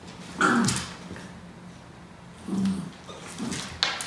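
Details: Norfolk Terriers wrestling together on a mat indoors; short, low rumbling growls come in three bursts, near the start, around the middle and just before the end, with light scuffling and a quiet room hum between them.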